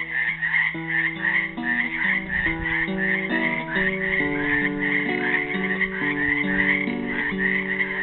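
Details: Frogs trapped in a pool in Helix, Oregon, on Earth Day 2016, calling as a dense, unbroken chorus of high trilling croaks, while a classical guitar plays a slow plucked melody over them.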